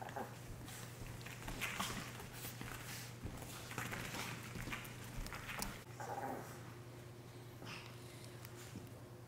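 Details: Dogs fighting, recorded on a Sony a7 III camera: rough snorting bursts and throaty growl-like noises come in uneven clusters, with a short whimpering tone near the end over a steady low hum, indoors.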